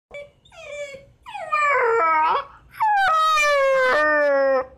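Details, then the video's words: Six-month-old Miniature Dachshund puppy crying at night to be let out: short whimpers building into long, high, steady whines with a slight downward slide, indoors. "Can't stop our Cute Mini Dachshund puppy from crying to go out at night"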